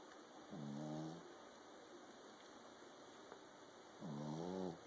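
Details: A King Charles Spaniel snoring loudly while asleep indoors: two rough, buzzy snores with a low harmonic rumble, each about half a second, roughly three and a half seconds apart, over a steady faint electrical hum.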